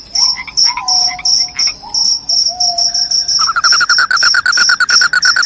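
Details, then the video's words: Loud crickets, described as driving off rats and making listeners drowsy, give short high chirps repeated about three times a second. Lower whistled notes sound early on, then a rapid buzzing trill runs underneath from the midpoint. "SUARA JANGKRIK PENGUSIR TIKUS, JANGKRIK JANGKRIK SUARA NYARING BIKIN NGANTUK."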